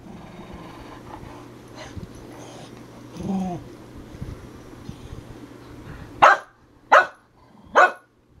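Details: Dog jokingly called a herding dog, said to act more like a chicken, gives three sharp, loud barks near the end, each under half a second apart, after quieter scuffling and a low whine; a person urges it on.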